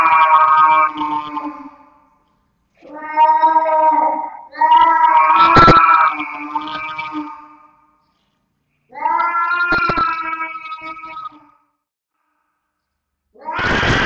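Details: Three uncastrated male domestic cats, nine months old, fighting indoors in a cat room, picked up by a web camera: long drawn-out wavering yowls in four bouts separated by silences, one broken by a sharp scuffling burst, another starting at the end.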